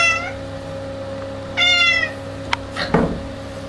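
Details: Clouded Bengal cats indoors, one giving a short high harmonic meow at the start and a longer, louder meow at about 1.5 seconds, followed by a click and soft rustling, over a steady electrical hum.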